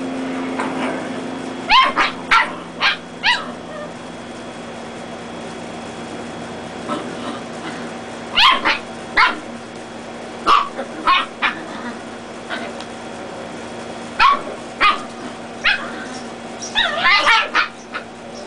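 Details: Dachshund puppies, reds against black and tans, play-fighting indoors; short sharp high yips and barks come in bursts of two to four, with quiet gaps between, and a steady low hum underneath.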